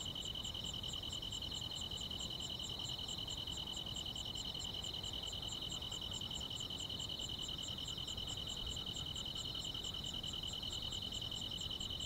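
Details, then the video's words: Grass insects chirring through a rural summer night: two bright sustained trills ring together while crisp high ticks repeat at a steady rate around two per second, against faint diffuse background hiss. "여름밤의 포근한 풀벌레 소리"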